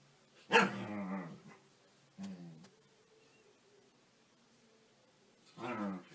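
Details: Welsh Corgi giving a loud harmonic bark that trails into a growly tail, then a shorter lower woof and a final drawn-out bark after a quiet gap.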